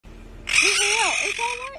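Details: A rescued, severely underweight baby female raccoon with barely any teeth cries: a wavering call that bends up and down, then a steadier rising cry, over a hissing wash of noise.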